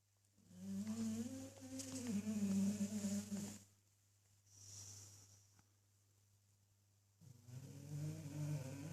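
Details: A male English bulldog snores while asleep in slow cycles: a drawn-out, vibrating, throaty rumble on each inhale, then a breathy hiss as it exhales. A steady low electrical hum runs underneath.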